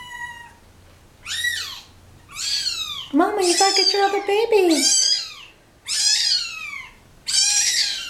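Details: Domestic cat family dumped at a turnpike: loud high kitten mews sweep downward alongside a lower, longer drawn-out meow, likely the mother coming to her crying babies, in a small indoor space.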